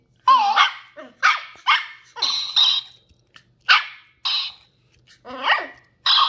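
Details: Ollie, a ten-week-old female Sheltie puppy exploring new things, barks repeatedly: short harsh yaps, some with a rising whiny onset, spaced about half a second apart in uneven bursts across six seconds, no other sounds.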